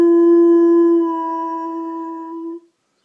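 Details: House dog howling on hearing the ice cream truck outside; a steady, drawn-out tonal howl that softens slightly midway, then holds for over a second more before cutting off.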